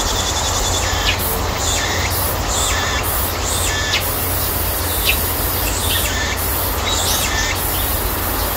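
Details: Cicadas calling at the height of summer in a persimmon orchard: loud pulsed shrill song, rhythmic bursts roughly twice a second sliding between high and upper-middle pitch, over a continuous piercing high whine and a low background drone.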